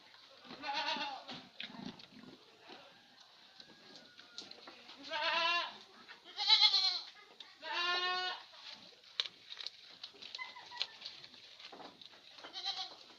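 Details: Etawa goat on a small farm in Senduro, Lumajang, Indonesia, giving loud, harsh, wavering bleats, about five in thirteen seconds, some stretched to a second long, with rustling and clattering in the background.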